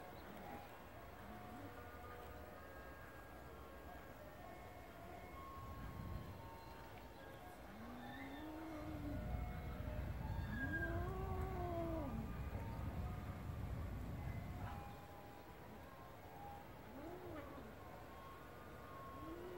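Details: Cat at play with a grasshopper in a garden: a few arched, tonal meows, two close together in the middle and a shorter one later, partly masked by rumbling noise that swells and fades.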